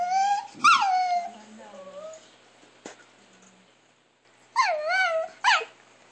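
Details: A Chihuahua named Alexa gives long wavering whines that bend up and down like a moan, a low soft growl between them, then two more warbling cries after a silence.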